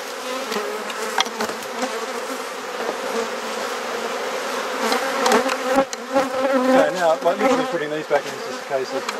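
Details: Garden beehive in Perth, Australia, opened for inspection while frames are swapped; a dense, steady drone of many bees with uneven taps and clicks from handling, and faint human voices toward the end.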